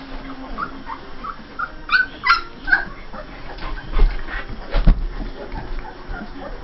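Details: Saint Bernard puppies 2 1/2 weeks old, from a litter born June 18, 2011 to Justice & Liberty, give a few thin, high squeaks near the middle over a low rumble, while a woman softly urges them to wake up.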